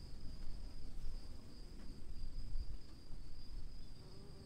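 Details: Crickets in rainfall keep up a constant thin, high trill that never breaks, while loud low rumbling rain noise fills the background.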